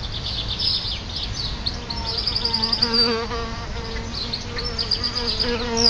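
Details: Solitary bees at a nest just outside a house front door; a steady, overlapping buzzing drone of several bees in flight, with pitch wavering as they pass, and faint high twittering in the background.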